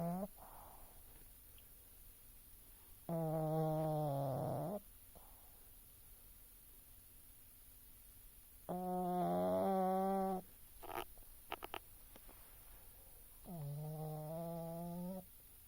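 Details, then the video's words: A sleeping pug named Oscar snores three times, about every five seconds. The snores are nasal, droning and slightly whistled, each nearly two seconds long. Faint clicks and small rustles come between them indoors. "Oscar The Pug Snoring"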